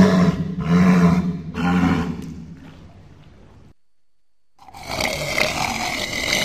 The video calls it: Walrus sounds